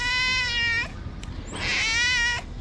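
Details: Hungry tabby kitten at a small shelter for abandoned kittens in Morocco, talking to its carer in a cute voice: two long, strongly harmonic meows, the first steady and drawn out, the second rising then falling, with a short pause between.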